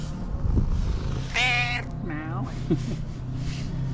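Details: Tailless tuxedo cat, female and friendly, meowing loudly as soon as she sees her person: one drawn-out, strongly harmonic meow followed by a shorter, softer bending one, over a steady low hum.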